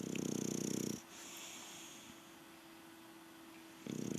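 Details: Sleeping English Bulldog named Rocky Balboa on an evening siesta, giving a low, rattling snore, then a long quiet pause and the start of another snore.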